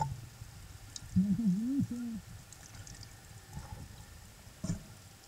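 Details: Humpback whale underwater at Silver Bank, Dominican Republic, April 2015, while a mother nurses her calf with an escort nearby. A brief wavering moan of about one second rises and dips, then low crackling and gurgling water noise follows.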